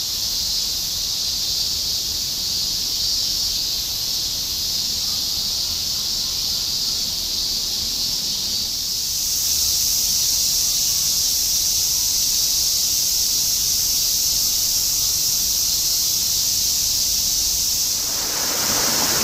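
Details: Shinjuku, Tokyo, summer 2016: an unbroken cicada chorus forms a bright sizzling wall of sound that grows slightly louder midway, with faint low urban hum underneath.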